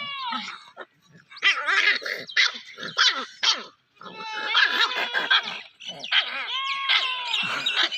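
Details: Playing puppy giving a busy run of high, bright yips and thin whining squeals, several calls bunched into bursts with short gaps between them.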